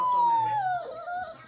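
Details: Phinn, a pet dog, whining to beg for food while his owner sits on the couch; a high, drawn-out tonal whine slides slowly downward, then a second, lower whine follows as a person says no.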